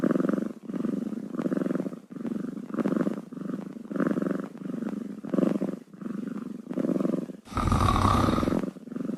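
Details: Steady kitten purr, low and pulsing, rising and falling with each breath about every half second to second, ending in a loud rustle of handling noise.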